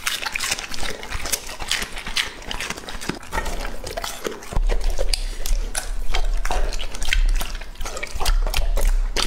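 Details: Lucky, a two-and-a-half-year-old male English-type Labrador Retriever, eating a meal in close-up: wet, crunchy chewing and lapping noises in irregular bursts, with occasional louder low thumps.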